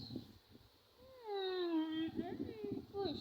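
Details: One of two pet cats being played with at a family home gives a long, drawn-out meow that slides downward over about a second, followed by shorter rising and falling mews, while someone speaks coaxingly nearby.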